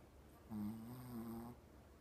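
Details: A 14-year-old blind female Shih Tzu with terminal cancer and seizures gives a low, droning moan lasting about a second, with a snore-like buzzy quality; recorded 28 October 2017.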